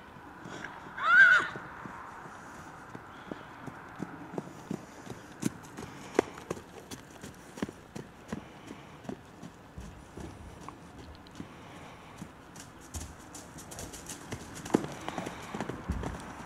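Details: Lassiter, a Friesian-Hackney crossbreed stallion sired by Kwintus, at Martindale Friesian Farm: one short, loud neigh near the start, then steady clip-clop of hooves for the rest of the recording.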